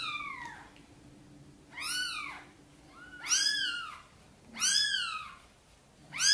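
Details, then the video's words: Gentle meows from mother cat Sonny, asking for help to bring her tiny kittens into the nest; a soft falling call opens, then three bright arched meows spaced about 1.4 seconds apart. "Mother cat is gently meowing, asking for help to bring her tiny kittens into the nest"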